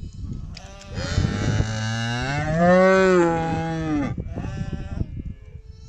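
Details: Chestnut-coloured cow in a Kazakh village, having just calved on her own, gives a long drawn-out moo of about three seconds that rises then falls, amid steady low rumbling background noise.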